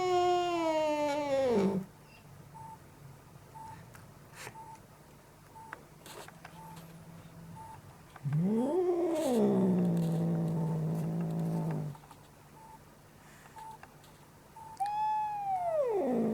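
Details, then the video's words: Angry yelling cat: a high yowl sliding down to a growl, a long quiet stretch with faint beeps, then a rising-falling wail ending in a low drawn-out growl, and finally a short high cry dropping sharply. "Angry Cat is Yelling and making Horrible Sounds!"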